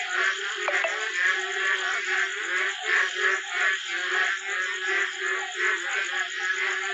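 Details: Frogs calling at night during sudden rain near a small pond, so loud it keeps people awake: a dense, pulsing chorus whose rough trills swell and fade in steady waves about twice a second.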